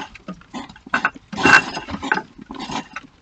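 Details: Male hedgehog investigating an already occupied hibernation house in a garden in Bedfordshire, UK, clashing with the resident hog: rapid puffing huffs and snorts in irregular bursts, with a louder harsh hiss in the middle.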